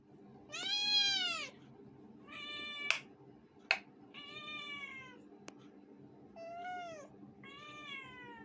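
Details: Two pet cats named Curie and Tittu meowing indoors: a string of loud harmonic meows, some arching up then falling, others flatter, with a few sharp clicks and taps between calls.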